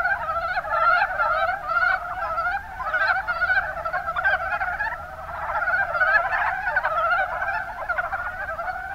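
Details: Mountain brown frogs (Rana ornativentris) calling together in a steady chorus of soft, rapid, chuckling croaks, in the Kuma Basin, Kumamoto, Japan.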